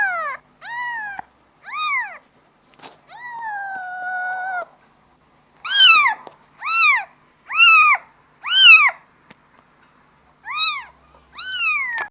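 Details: Young kitten calling for its mother, about a dozen meows: a long level wail early, then a quick string of short arched cries and two final ones after a pause; background silent.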